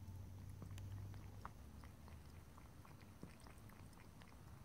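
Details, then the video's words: Domestic cat drinking water indoors, lapping and licking in quick soft wet clicks, roughly three per second, close and quiet, over a steady low room hum with no voices. "ASMR Cat: Drinking, Lapping and Licking Water"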